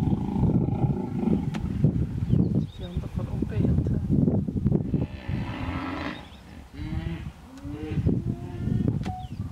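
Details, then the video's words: Hippos in a stand-off in the Vurhami River, Kruger National Park, South Africa, a female vehemently defending her young against a male; deep rhythmic grunting bellows repeat throughout, with a brief hissing burst and scattered bird chirps. "Epic Stand-off... 2 Hippos Kruger National Park. SOUND ON!!!"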